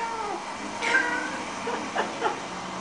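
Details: Domestic cat eager for its Chinese New Year bak kwa treat makes a drawn-out tonal meow with a sharp onset, then two brief softer chirping sounds, with faint indoor background murmur.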